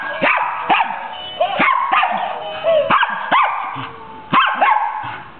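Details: A Scottish Terrier "singing" during a Christmas carol. It gives quick sharp barks mixed with drawn-out, wavering vocal notes, about seven bursts in five seconds.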